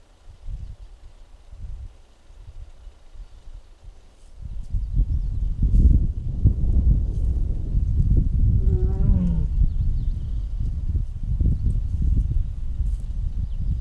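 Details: Mugung, a six-year-old tiger at the Tiger Forest of Baekdudaegan National Arboretum in Bonghwa, Korea, on the afternoon of 24 April 2026, making strange sounds while perhaps unwell: deep rumbling grumbles build, then a short harmonic moan near the ninth second.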